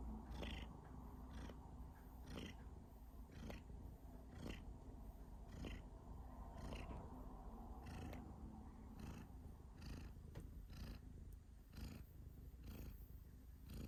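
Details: Cat coughing while purring: a low rough purr pulsing steadily, punctuated by repeated sharp broadband bursts roughly every second.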